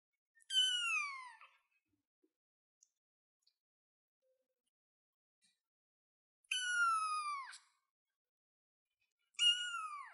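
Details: Cute kitten on a chair mewing three times with long pauses between. Each meow is short, high-pitched and falls away at the end. Faint small clicks are heard in the gaps.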